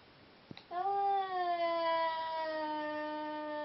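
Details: Drawn-out yowl from a Seal Point Siamese cat while two cats are being paired for mating; a tonal, rich wail lasting nearly three seconds, sliding gently lower, preceded by a brief click.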